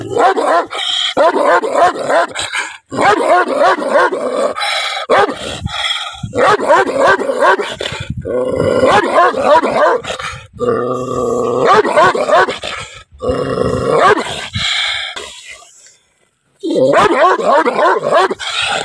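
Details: Angry dog barking in rapid, uneven bursts of harsh barks, about three per second, with brief pauses between volleys and a low tonal growl near the middle.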